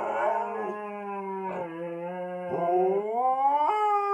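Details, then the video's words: Two pet Siberian Huskies howling together in a low-voiced duet, one wearing a cone after minor surgery; long, steady, richly harmonic low howls with gentle pitch steps, sliding upward near the end, heard indoors. "Husky singing a duet in baritone"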